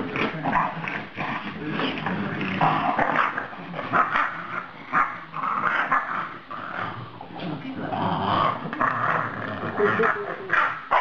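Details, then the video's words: Talkative French Bulldog after a dog playdate with a pug, keeping up a steady stream of growly, moaning 'talking' sounds in uneven bursts, rising and falling in pitch, with occasional human speech in the background. "French Bulldogs: Lydia talking again"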